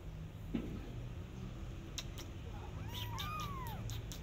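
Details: Persian cat out walking in a garden with her adopted kittens, watching rabbits; a few overlapping arched, wavering meows rise and fall near the end, over steady low outdoor rumble with brief clicks and rustles.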